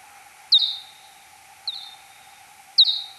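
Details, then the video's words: Three time-expanded (x10) search-phase sonar calls of a Kuhl's pipistrelle, 6 July 2022, 03:59. Each is a quick descending chirp trailing into a level tone; the middle call is softer. Constant low hum underneath. "Pipistrellus kuhlii 2022-07-06 0359 (search-phase calls)"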